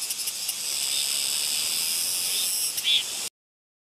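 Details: A Soyosan cicada on Muuido island sings a steady, high, hissing buzz that holds without a break.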